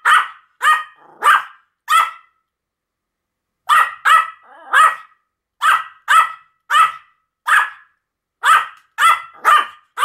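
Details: Pomeranians Sam and Marin barking together: a run of four bright, high-pitched yaps, a pause of nearly two seconds, then steady bursts of quick barks in twos and threes through to the end.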